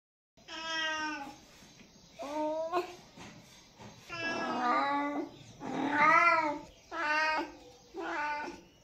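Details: Kitten meowing insistently indoors: about seven drawn-out, harmonic meows in under nine seconds, some rising then falling, a few rougher and strained, with short quiet gaps between them.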